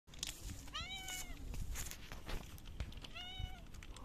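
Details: Hungry stray cat, male, in front of a local store, meowing before being fed wet food: two clear rising-falling harmonic meows about two seconds apart, with outdoor background noise and faint clicks.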